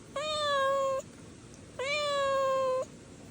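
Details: Stray kitten giving two long, steady, clear meows of nearly a second each, evenly pitched with rich harmonics, separated by a short pause.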